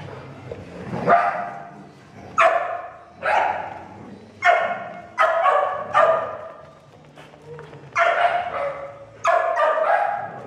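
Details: Doodle and Portuguese Water Dog playing together at a dog daycare, with a small doodle alongside; loud, sharp barks come in bursts about every one to two seconds, some doubled, over a low indoor hum.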